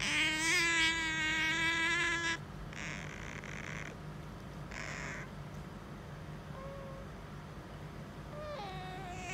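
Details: Household otter pestering its owner for petting: one long, loud, buzzy whine lasting about two seconds, then two soft noisy rustles and a few faint, short squeaks near the end.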